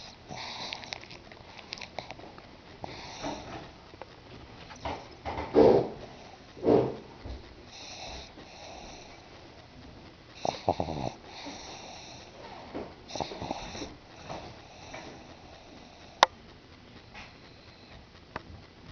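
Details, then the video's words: Sleeping pug Bruno, a pet dog indoors, making wheezy snoring breaths mixed with snuffles and a couple of louder snorts in the middle, over a faint room hum. "MY FUNNY PUG BRUNO SNORING"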